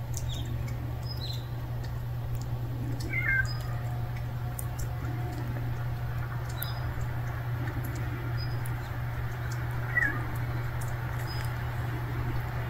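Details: Hungry stray kitten meowing: two short, thin, high mews, one about three seconds in and another near ten seconds, over a steady low hum and constant hiss.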